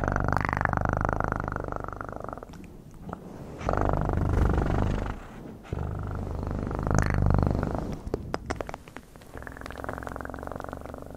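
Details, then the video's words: Domestic cat purring up close, a dense rumbling vibration that rises and fades in long waves with a few short breaks between bouts. "1 Hour Of Best PURRING sounds"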